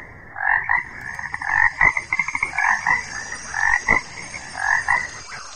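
A frog gives raspy, two-toned croaks in short bursts, about one a second, over a faint steady high hiss.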